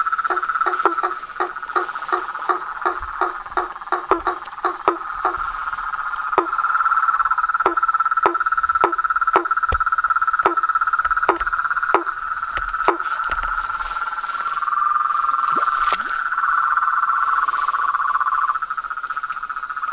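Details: Frogs in nature giving a string of separate knocking calls that thin out and then give way to a long, steady rolling trill, backed by a high continuous insect drone.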